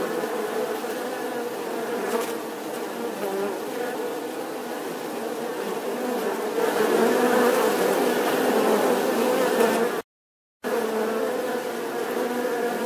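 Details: Sustained bee buzz, a dense vibrating hum with shifting pitch and strong overtones, swelling slightly before a brief cut to silence, then resuming.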